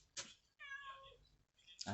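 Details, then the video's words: Stray mother cat crying in the days after losing her kittens during a heavy rainstorm; one drawn-out tonal meow with a slight falling bend, framed by short clicks and knocks, with quiet speech nearby. "잃어버린 애기냥이 찾느라 우는 길냥이"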